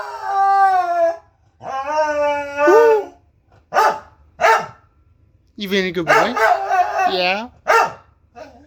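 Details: Vladimir, a male corgi, gives drawn-out, wavering howls when asked by his owner, with a person talking between the howls; recorded on a phone.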